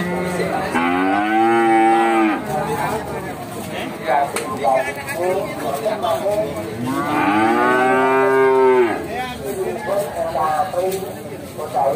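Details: Simmental cattle at the livestock market of Bekonang, Sukoharjo, Central Java, give two long, deep, harmonic moos, each about a second and a half and arching up then down, separated by several seconds, over background music.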